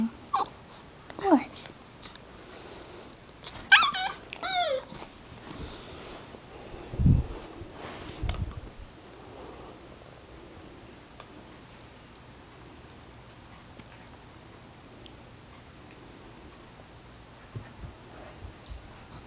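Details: Female Siberian Husky pup, eight weeks old, whining indoors because she cannot burst the squeaker in her orange toy; a few thin, bending whimpers in the first seconds among chewing noises, then near silence.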